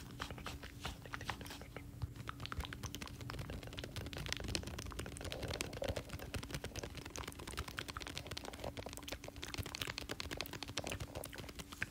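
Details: Close-up crunching, crinkling and tapping sounds fill the recording over a steady low electrical hum. No animal calls can be picked out.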